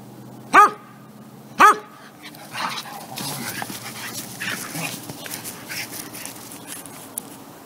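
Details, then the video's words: Two dogs, Superbolt and Hako, play wrestling in Florida, Hako an American Indian Dog mutt; two loud, sharp harmonic barks about a second apart open the clip, followed by scuffling, rustling play noise. "Heavyweight Championship Dog Wrestling of Florida"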